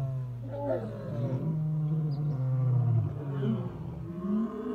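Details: Lions roaring: deep rumbling low-pitched roar, sustained and grunting with rough overtones, steady throughout with no other clear sounds.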